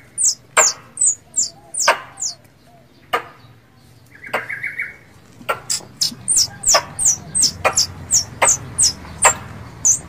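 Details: Squirrel lure call for a mate: quick series of shrill, piercing chirps repeated roughly three per second, interrupted by sharp percussive clicks and a brief buzzy trill midway.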